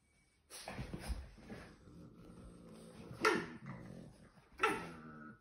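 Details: Boston Terrier dogs at play with their families, soft whimpering and small vocal sounds with two sharp louder bursts, quiet room ambience.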